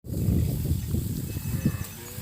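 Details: Cattle being driven back to their pen across a grassy field: a low, rough, harmonic moo swells in the first second and then fades into murmuring lower calls, with outdoor rumble beneath.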